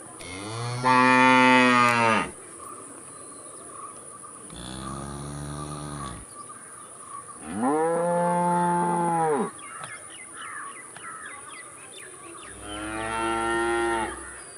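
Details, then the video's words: Cow lowing four times over about fifteen seconds, long rich moos spaced a few seconds apart and alternating louder and softer, with a faint constant high-pitched whine behind them. "COW VIDEOS, COW SOUND EFFECT Moo"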